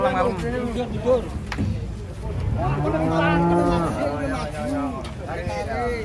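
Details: A cow stepping down from a truck gives a deep, sustained moo lasting over a second, with shorter arched lowing calls before and after, set against a low background hum.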